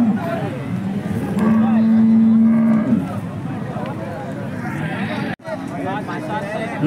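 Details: A Holstein Friesian cow at the Peth Vadgaon cattle market, Maharashtra, gives a steady, level, low moo lasting about a second and a half, while people talk nearby and the market crowd murmurs.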